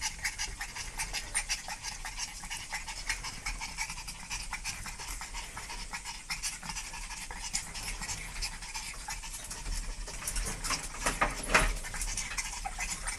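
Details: Fast, slightly irregular panting by a dog, about 176 hissing breaths per minute, growing a little louder near the end, with faint low background noise.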